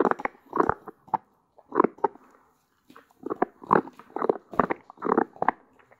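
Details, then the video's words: Crunching and smacking from a young female Doberman Pinscher named Cola, one year old, in California, USA, chewing her favourite deer antler treat: hard bursts of gnawing come in rhythmic groups with short pauses between. "도베르만의 사슴뿔 먹방 ASMR"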